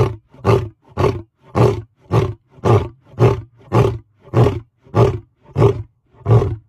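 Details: A lion, recorded at very close range, gives a run of deep, throaty grunting roars, each a short, heavy burst repeated steadily.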